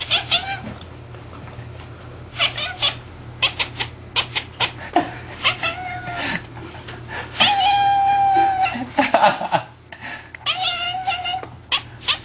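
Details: Domestic cat making strange noises while looking out a window at a bird: rapid broken chattering clicks and short bursts, with a few drawn-out meow-like wails, over steady low background hum indoors.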